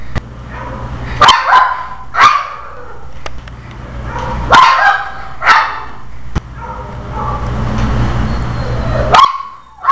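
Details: Chandler the Pekingese gets really angry whenever his tail itches; here he lets out sharp, strained barks and yips in irregular bursts, some rising into whiny snarls, separated by pauses, over a low steady hum.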